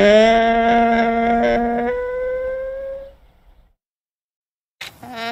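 A llama calls with a sustained, reedy note that holds level, then jumps higher and trails away. After a short silence, a second call of the same tone begins.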